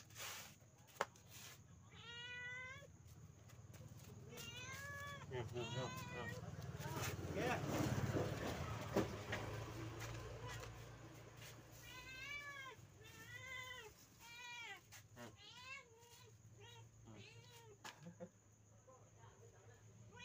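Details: Pet village cat at dinner time, giving short arching harmonic meows, mostly in quick clusters of three to five and some singly, with a broad rumbling noise swelling through the middle and low background hum.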